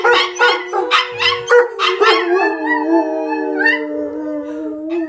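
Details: A Malamute named Kalia howls alongside her little PomChi friend Mikhos. Choppy, rhythmic yipping opens the passage, then gives way to smooth, sustained howling tones that glide slightly upward near the end.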